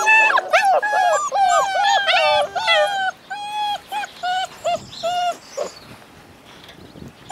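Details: Howling Alaskan Malamute puppies, a litter of eight born February 2013: a dense chorus of high bending howls fading into separate short tonal yelps about twice a second, then quieter near the end.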